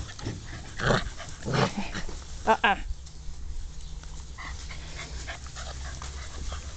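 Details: German Shorthaired Pointer puppies let out on long back-garden grass for the first time on a June 2014 afternoon, exploring and playing; a few short harmonic yelps and whines come in bursts amid grass rustling and a human voice.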